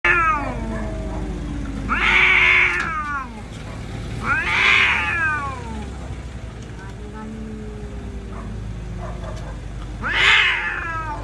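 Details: Street cats fighting, with loud harmonic caterwauls swelling and fading at about two, four and ten seconds, low growling wails between them, and steady traffic rumble underneath.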